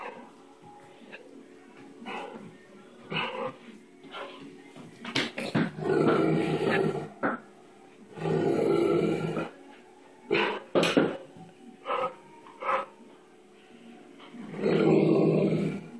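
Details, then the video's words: A 135 lb Great Dane, frightened of a bubble blower stick, giving loud harsh growling barks in three long bursts near 6, 8.5 and 15 seconds, with shorter sharp sounds between and faint music. "Great Dane afraid of bubble blower stick"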